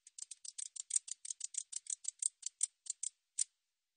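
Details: Katydid producing a steady run of sharp, dry, high-pitched ticks, about five per second, sounding like rapid snipping scissors, ending with a few spaced-out clicks.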